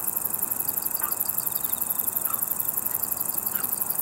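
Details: Ruspolia interrupta, a conehead katydid shown in green and brown forms, singing a continuous, very high, finely pulsed buzz. Fainter rhythmic ticking from another insect sits lower, along with a few soft chirps.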